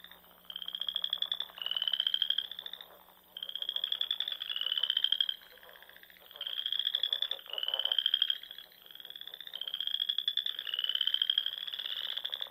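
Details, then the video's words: Spring dusk chorus of frogs by the lakes and ponds of Nebraska's Sandhills; high, rapidly pulsed trills repeat in close succession, several animals overlapping in a near-continuous rattling song. "RELAXING SOUNDS OF FROGS"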